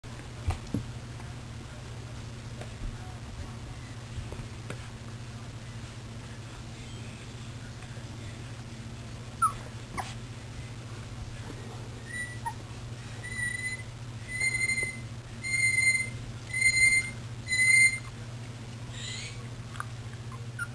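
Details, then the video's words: Puppies milling about, recorded on 24 February 2010: over a steady low hum, five short high squeaky whines come in quick succession about once a second near the end, after scattered knocks and shuffling. "puppies milling about"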